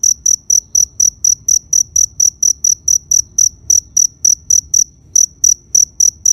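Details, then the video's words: Cricket chirps in a fast regular train of short high trills, briefly pausing near the end before resuming, over a faint low hum. "Cricket Sound Effect"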